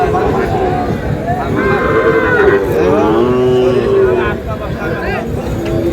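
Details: Sahiwal breed bull calf at a crowded Madaripur cattle market in Bangladesh, early April: a low, sustained moo swelling midway and holding for over two seconds, with people talking and traffic nearby.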